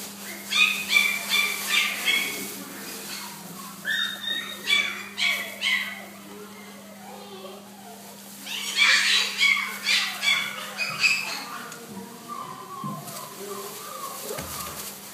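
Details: Blue American Staffordshire Terrier filmed at Dogcenter on 2-10-12: high, squeaky harmonic yelps come in quick repeated runs, one burst near the start and a louder one midway, with a steady low electrical hum throughout.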